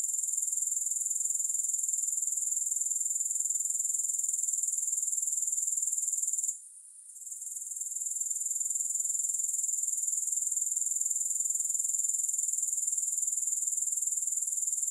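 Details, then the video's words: Unbroken shrill trilling of grasshoppers, evenly pulsed near four times per second with no music, interrupted by one short quiet gap midway before the high chorus resumes at full strength. "3 Hours of Grass Hopper Sounds"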